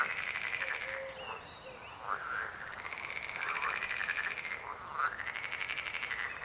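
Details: Frogs croaking in a dense chorus, overlapping pulsed rattling calls with harmonic bands, rising and falling in loudness in waves every second or two, with no other clear sounds.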